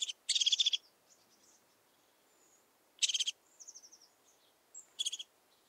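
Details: Saddle-backed Bush-cricket, Pfaffstätten, Austria, 7 August 2022: grating, pulsed chirps that rasp across a broad high range, one long and two shorter bursts, with soft thin trills of other insects between.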